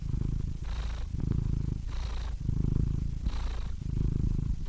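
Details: Domestic cat purring: a deep, steady low rumble that swells and eases with each breath, with airy breath hiss rising on the inhale about every 1.3 seconds. No other sounds.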